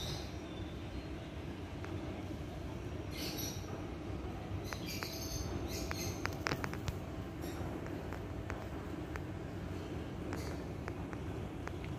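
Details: A steady low mechanical rumble, like a passing train or engine, with scattered sharp clicks and knocks and no clear animal call.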